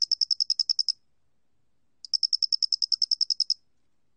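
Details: Doenitz's cricket, National Institute of Biological Resources recording from Korea, 2020, giving two bursts of about ten quick, evenly spaced shrill pulses separated by a second of silence.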